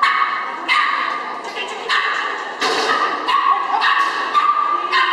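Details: Karlo, a Chihuahua competing in agility at Gallus Henau in September 2011, lets out a quick series of loud, shrill yapping barks about every half second, mixed with human voices.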